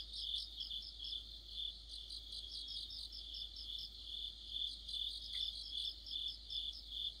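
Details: Autumn chorus of crickets and other insects under a streetlamp: sustained high buzzing trill with clustered rapid chirps from several singers, repeating steadily, one faint short click near the end.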